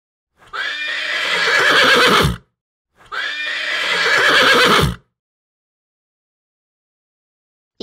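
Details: Horse neighing on a farm, presented for children learning farm animal sounds: two loud whinnies of about two seconds each, separated by a short gap, with a shaky, wavering pitch that falls away at the end, then silence.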